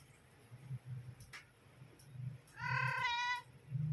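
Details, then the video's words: Mother cat calling her kittens to come and feed: one loud, rich, drawn-out meow of nearly a second near the end, after faint soft sounds and low humming background noise. "Mother cat came and call her kittens to feed them"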